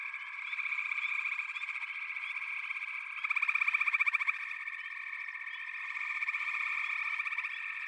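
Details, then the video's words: Continuous chorus of frogs, layered fast-pulsed trills blending into a ringing drone, with a louder, more distinct trill surging for about a second midway. "FROGS - Pig Frogs, Water Frogs, Backwater Chorus, & Frog Chorus"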